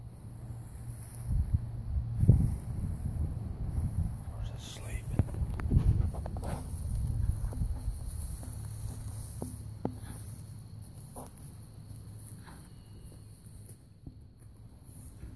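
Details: A pony snoring away: low, rumbling breaths that swell and fade in slow waves, loudest around two and six seconds, with soft rustles and small clicks scattered through.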